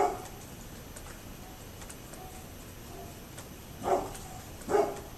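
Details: Dog next door recorded on 27 October 2011: a faint bark at the outset, a long pause, then two loud gruff barks less than a second apart over a steady hum.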